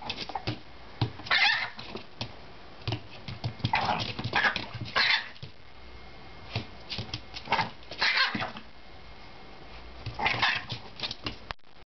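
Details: A Chihuahua scolds a pestering Jack Russell puppy indoors, giving short sharp barks and snarling growls in bursts, with scuffling and the puppy's yips between the outbursts.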